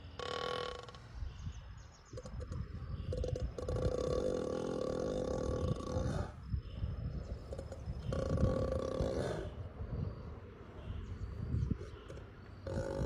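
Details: Ox asleep and snoring loudly, with deep rattling breaths lasting about two seconds each, separated by quieter gaps; a man's voice greets someone near the end.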